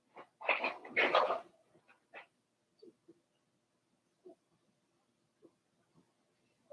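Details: Cavalier King Charles Spaniel puppies, four weeks old, kept in an indoor pen: a loud burst of harsh squealing yelps, then scattered soft short whimpers spaced a second or so apart.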